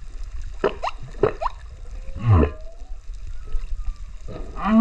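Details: Singing male humpback whale recorded underwater off Rurutu on 28 September 2024 with a GoPro: rising and falling moans, a sweeping low groan, and harmonic upsweeps over a low watery background.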